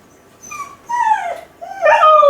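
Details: Kai Ken Ichi, left alone at home and crying with loneliness for its family: three short, high whining howl notes, each bending downward, the last one loudest and richest.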